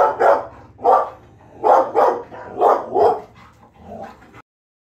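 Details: Female Labrador Retriever puppy at home, excited while watching herself on TV, gives a run of short, sharp mid-pitched barks and yips, about two a second in pairs, softening toward the end before silence.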